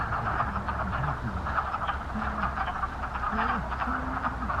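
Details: Wood frogs chorus at a cranberry bog on March 11, 2020: a dense, steady mass of overlapping clucking calls, with low humming, drawn-out tones running beneath.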